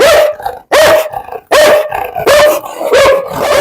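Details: Dog barking in quick succession, five loud, harsh, tonal barks with about 0.7 seconds between each, with no other clear sounds.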